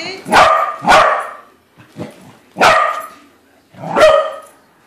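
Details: Domestic corgi meeting a corgi balloon that turns out not to be real: a quick pair of loud barks, a softer yip, then two more sharp barks spaced about a second apart.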